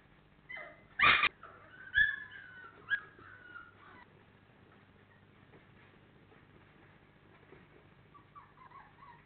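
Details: Four-week-old Labrador Retriever puppies whimper. A cluster of high, wavering whines and short yips comes in the first few seconds, followed by a faint thin whine near the end, with a loud knock early on.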